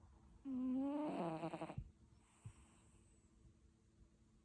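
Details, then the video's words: A cat asleep and snoring: one loud, rasping, tonal snore rising in pitch for over a second, then soft breathing and a light click in a quiet indoor setting. "Katzen schnarchen"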